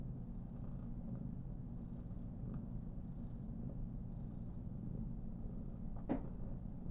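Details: Female Somali cat named Karen, born 19 November 2021, purring while being petted and fluffed all over, shown as very comfortable; a steady low pulsing rumble runs throughout with a brief faint click near the end.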